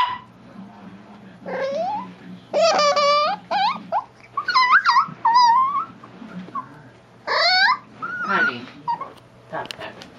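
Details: Chihuahua gnawing a bone and being teased, producing a run of squeaky, warbling growls that recall a dolphin. About eight separate wavering squeals, each under a second, rise and bend in pitch, with a low rumble underneath.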